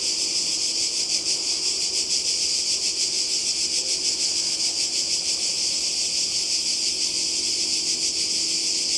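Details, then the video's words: Summer cicada chorus on the Croatian coast, 2020. An unbroken high-pitched sizzling drone that throbs gently about once a second and holds a constant loudness from start to end, with no other clear sounds. "Kroatien Zikaden und Meer"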